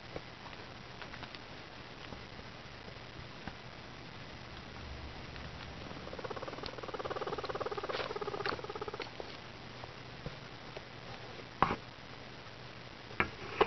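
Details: Pet guinea pigs roaming around indoors; a soft run of stacked, buzzy chirping notes swells for about three seconds midway, amid light pattering, rustling and a few sharp knocks.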